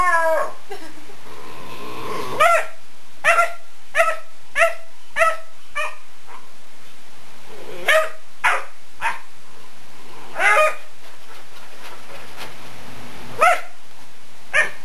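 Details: Odin, a pet dog, barking at fingers running across the couch: short sharp barks with clear harmonics, in irregular bursts, some doubled, with pauses of a second or more between groups.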